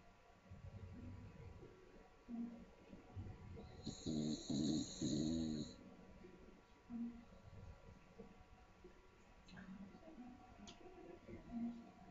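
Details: Staffordshire bull terrier, a small dog, snoring in its sleep: one rattling, buzzy snore of about two seconds in the middle, softer breaths around it, quiet room tone throughout.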